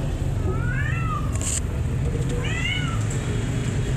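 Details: Mother cat and her kittens playing hide and seek; two rising-and-falling meows, one near the start and one midway, over a steady loud low rumble with a brief high hiss.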